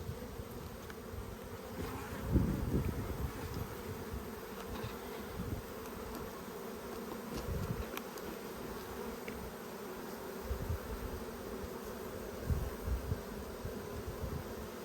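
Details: Australian honey bee colony, strong but short of food in a dearth, during a hive inspection on 5 February 2022; an even, low murmuring buzz throughout, broken by a few louder bumps from frame handling.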